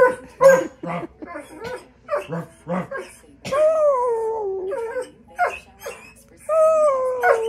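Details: Loki, a dog, singing: quick broken yips and yowls give way to two long, wavering howls that slowly sink in pitch, separated by a short yelp.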